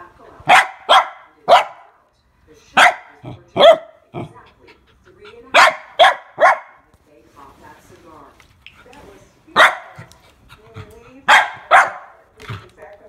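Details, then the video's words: A frightened female mini goldendoodle puppy, scared of a water bottle, barks in quick loud bursts of two or three sharp yelps, pausing between rounds, while a person talks softly. "GOLDENDOODLE PUPPY SCARED OF WATER BOTTLE"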